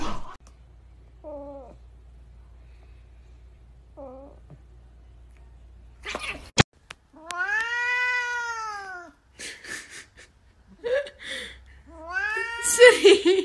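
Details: Domestic cat meowing indoors: two soft short mews, then a long, loud drawn-out meow that rises and falls, followed by several shorter wavering meows with brief clicks and quiet gaps between calls.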